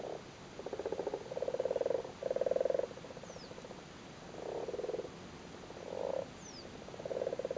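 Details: Spawning frogs on their spawn in a flooded Cork cattle grid, Ireland, produce rattling purr-like croaks, several buzzy bursts of one to two seconds each, separated by short pauses.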